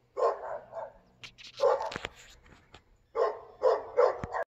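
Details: Barking dog recorded in Volcano on July 7, 2022: groups of hoarse, mid-pitched barks, interrupted in the middle by a clatter of knocks and bangs before the barking resumes.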